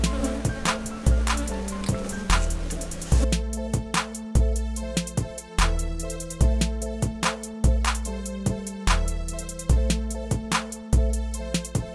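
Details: Rhythmic music with deep bass notes and sharp drum hits repeating roughly every second, and no animal sound audible.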